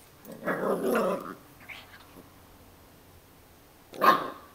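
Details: Puppy growling in a short rough burst lasting under a second, followed by a long quiet stretch and then a second brief, sharp growl near the end.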